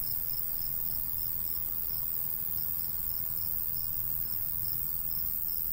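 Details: A cricket calls in rural summer fields of golden wheat, giving a rapid, regular series of bright, high chirps about three per second, while a gentle breeze hums low and steady.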